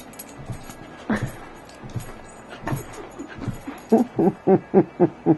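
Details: Olive the dog, jumping to see who is on the bed, gives a string of short high whines, about four per second toward the end, after scattered thumps and scuffling.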